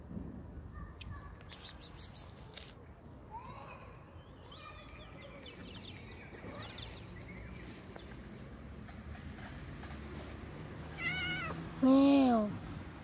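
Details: Hungry kittens eating raw fish, with faint mews over steady background noise, then two loud, drawn-out meows near the end, each rising and then falling in pitch with strong harmonics.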